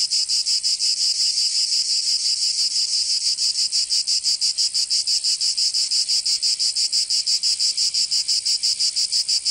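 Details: Cicadas singing in summer in Provence, southern France: a dense, continuous high buzzing chorus pulsing rapidly at roughly three beats per second, steady throughout with no other sounds.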